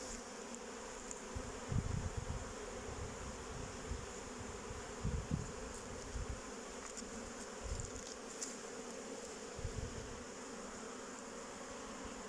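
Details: Honey bees from a beekeeper's own colonies, recorded on 8 May 2023: a steady, dense hum of many bees buzzing together, with low thumps and bumps from handling or wind now and then.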